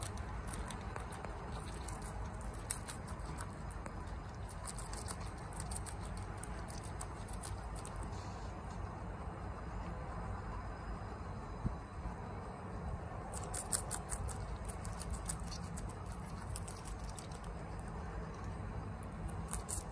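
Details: Chia, a pet guinea pig, munches bok choy quickly at home. Clusters of sharp crunching clicks come in bursts, pause midway, then return in a dense run over faint low background rumble.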